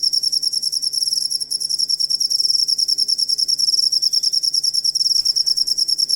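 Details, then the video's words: Songbird-training master track of a cricket: piercing, rapidly pulsed chirping held at a high pitch for the whole stretch, slightly dipping in loudness midway, over a low background hum. "Asli Ampuh Suara Jangkrik Buat Masteran Burung Kicau"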